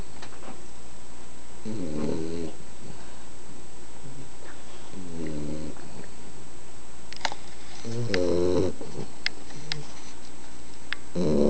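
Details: An 11-week-old Boxer puppy asleep and snoring: low, rasping snores that come roughly every three seconds, with a steady high electrical whine in the background.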